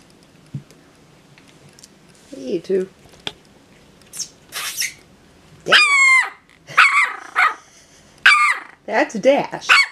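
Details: Jack Russell terrier puppies at three and a half weeks old from Leah's 2018 litter, indoors: high-pitched squealing yelps in short bursts, sliding up then down in pitch, interleaved with soft human talk.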